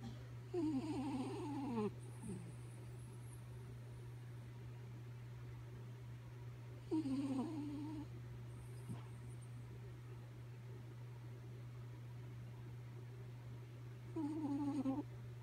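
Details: Kaya Boo, a sleeping dog, snoring: three whistly, wavering tonal snores, each about one to two seconds long, come roughly every six to seven seconds over a steady low electrical hum in a quiet room.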